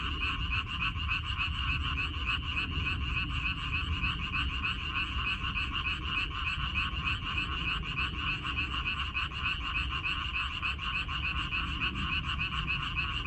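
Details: Frogs in a water-parsley (minari) field in Korea, recorded 14 May 2021: a dense, continuous chorus of rapid, overlapping pulsed croaks, roughly three per second, forming a steady buzzing wall of sound with a low background rumble.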